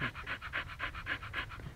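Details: Panting Siberian Husky, Lucky, lying in a dug-out hole in the mud in Pleven: even, breathy pulses roughly four per second, clean and steady with low background rumble.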